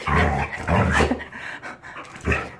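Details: Happy Jindo pup back to health after a diet change, grunting like a pig: two long, low, throaty snorts in quick succession, then a pause and a shorter grunt, all rough and rumbling.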